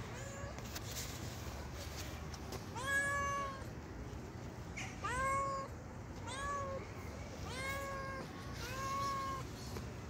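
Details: Hand-fed timid stray cat on the street calling with five short meows, each bending upward then falling, spaced about two seconds apart, over low background rumble and faint taps.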